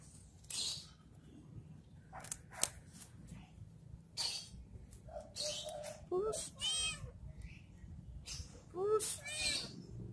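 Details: While playing with a stick, a cat lets out a couple of arching meows near the end, set among scattered clicks, taps and rustling from the play.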